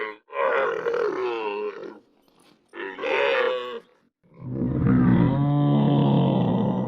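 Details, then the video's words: Real camel in 8D audio: two hoarse, nasal grunting calls lasting about two seconds each, then a deep, sustained rumbling gurgle that carries steadily to the end. "CAMEL SOUND - CAMEL SOUND EFFECT - SOUND OF CAMEL - NOISE OF CAMEL"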